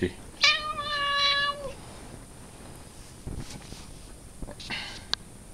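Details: Domestic cat giving one drawn-out, steady, richly harmonic meow lasting over a second, followed by quiet indoor rustling and a brief, fainter call near the end.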